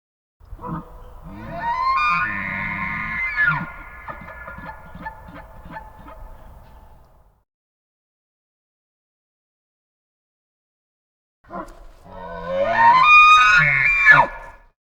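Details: A moose gives a long, wavering nasal moan that breaks into a run of rough pulses.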